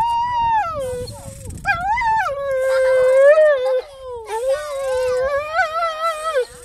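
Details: A dog whining in three long, drawn-out tonal phrases. Each wavers and slides between higher and lower pitches, rich in overtones, with short breaks between them. The background is quiet.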